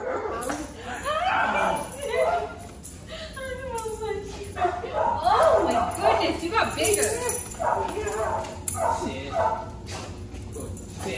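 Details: Belgian Malinois named Wednesday reunited with her owners, giving excited high whines and yelps that rise and fall in quick succession over steady talk, with music playing faintly.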